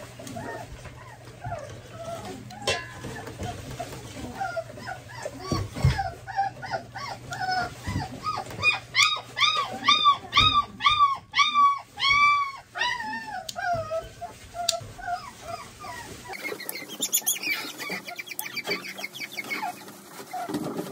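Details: German Pointer puppies have their nails trimmed, starting with scattered soft whines. These build into a rhythmic series of loud arched yelps, about two per second, then fade into rustling and handling noise.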